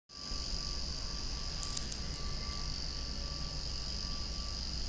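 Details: Cicadas calling loudly outdoors among swaying flowers, a steady, even, high buzzing drone that holds unbroken throughout, with a faint thin tone lower down and soft low background rumble.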